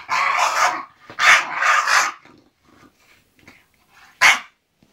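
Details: English bulldog Zenuś settling down to sleep, giving three harsh, raspy, breathy grumbles: two long bursts close together, then a brief sharp one after a pause, with faint snuffles between.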